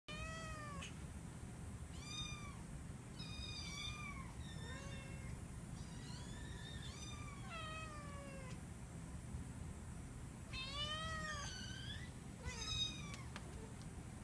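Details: Q-Ball, also called Cassandra, a female FIV-positive Domestic Shorthair cat in foster care awaiting adoption, mews repeatedly: about nine clear, tonal meows, several rising then sliding down, spaced irregularly over a low, steady background hum.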